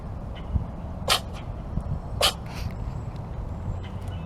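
A Norwegian Forest Cat gives two sharp, hissing sneezes about a second apart over a low indoor hum.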